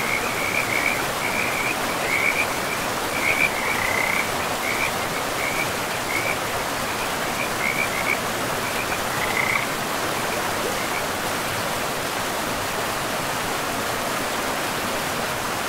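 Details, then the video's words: Frogs calling by a river in pristine, moss-covered forest: bursts of quick, high trilled croaks repeat roughly every half second for about ten seconds, then fall silent, leaving only the steady hiss of rushing water. "River and Frogs sleep sounds"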